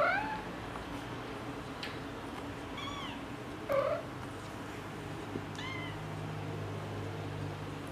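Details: Tabby mother cat talking to her kittens, giving a few soft, brief chirping meows, one clearer short call near the middle, against faint background hum.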